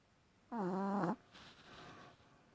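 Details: A dog snoring loudly in its sleep: one buzzy, harmonic snore lasting about half a second that sags slightly in pitch at its end, followed by a softer, breathy exhale.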